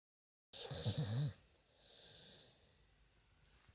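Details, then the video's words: Staffordshire Bull Terrier named Tank snoozing, giving a loud, rasping, wheezy snore for under a second, then fading into quiet breathing with a soft hiss. "staffy, Staffordshire, dog snoring funny"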